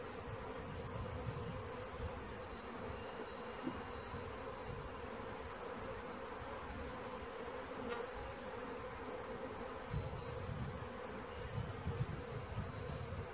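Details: Many honey bees of a swarm humming together as it is caught, a continuous droning buzz holding steady throughout, with heavier low rumbling and occasional small taps.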